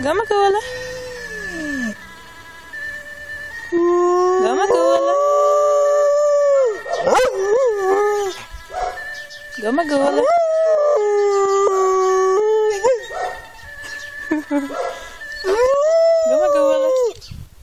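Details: A female pet dog cries and howls along with an ambulance siren played to teach her to howl on command; repeated long, bending howls that swell and drop, interleaved with whimpers, over a steady two-tone siren.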